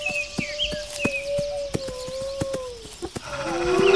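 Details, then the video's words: Wolf gives a sustained, even howl that slowly sinks in pitch and fades, while a second voice begins at the end, over regular clicking ticks and brief high bird notes. "Wolves Howling"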